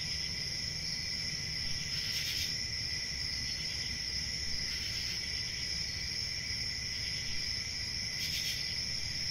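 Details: Crickets trill continuously in a high, shrill drone, broken by three short bursts of louder, broader chirping spaced several seconds apart, over faint low rumble.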